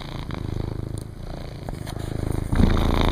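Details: Cat purring from a first litter of five kittens playing outside a house on cool cement while their mother lounges nearby. A steady, low, rapidly pulsing rumble grows slightly louder toward the end.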